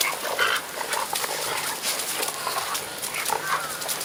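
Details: Six-and-a-half-month-old puppies Hanako, Hiyo, Chiyo and Yuho running around on a sandy riverbed in Ain village in October 2012. Brief high whimpers and yips break through steady scuffling and rustling noise.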